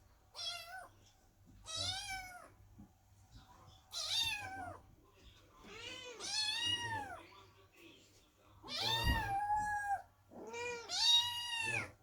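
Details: Several kittens cry at a closed door as mother cat Chloe gives birth inside, worried and waiting; about six overlapping meows of varied pitch, some short and bright, others wavering and longer, irregularly spaced.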